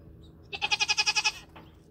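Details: A Nigerian Dwarf dairy goat, brought near a buck for the first time for breeding on New Year's Eve 2020, lets out a short, bright, trembling bleat of roughly nine rapid pulses under a second long, over a soft background hum.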